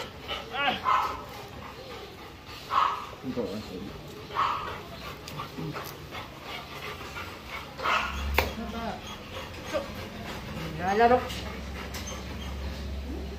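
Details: Labrador Retriever during a stud mating session; short high whimpers and whines at uneven intervals, a brief bark-like note near the end, with people talking throughout.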